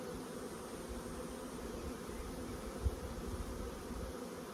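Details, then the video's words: A huge honey bee swarm arriving at a hive, the bees settling inside until it is full; a steady, dense, continuous hum with low rumbling and a faint low-frequency roar, no voices. "Huge swarm arrives, magnificent as always!"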